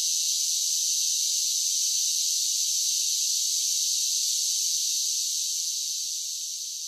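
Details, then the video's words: A continuous high, rasping chorus of cicadas on a summer day, holding level before fading gently toward the end, no other sounds present. "Cicada Sounds"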